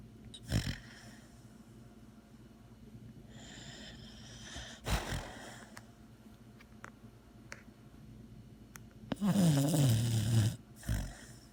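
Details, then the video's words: Sleeping dog snoring indoors: a few short snorts spread across the recording, then a loud, rough snore with a low wavering tone near the end, followed by one more brief snort. "THE SNORING DOG"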